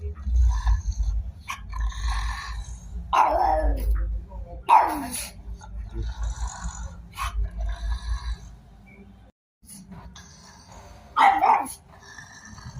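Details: A dog barks in short, rough bursts, two close together early on and one more near the end, with people talking and a constant low hum behind.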